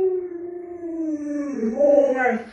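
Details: A drawn-out howl from Luoluo, a household Alaskan Malamute, starts as a steady tone. Midway it breaks into a wavering, yodel-like section that rises and falls before trailing off, heard inside a small room.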